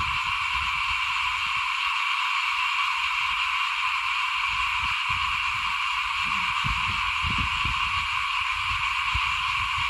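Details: A steady mass of frog voices calls outside a house during rice sowing in 2021, an even, high-pitched droning chorus with no pauses, mixed with scattered low bumps and rustling rumbles.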